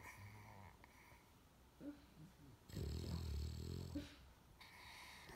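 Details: Peacefully sleeping English Bulldog, pillowed on a girl, snores with a deep vibrating rattle between quieter airy wheezing breaths; a few soft snuffles in between.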